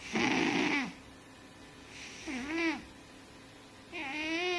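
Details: A fat domestic cat snoring in its sleep: three tonal, whistling snores with rich harmonics, the first long and loud, the others shorter with rising-then-level pitch, spaced about two seconds apart in a quiet room.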